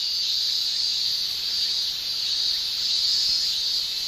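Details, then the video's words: Summer cicadas of Japan shrilling without pause, an unbroken high-pitched buzz holding nearly level throughout. "Japan Summer Cicada Shrilling"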